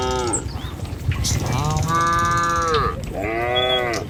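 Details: Moos from a tame cattle herd travelling along a village road toward the pen in the morning: a long, deep, steady low call, then another shorter moo, with faint bird calls behind.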